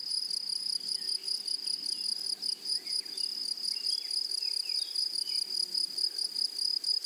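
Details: Meadow grasshoppers on a flowering prairie keep up a steady, piercing buzz that pulses rapidly and never stops, while faint bird-like chirps and short swooping notes flicker underneath.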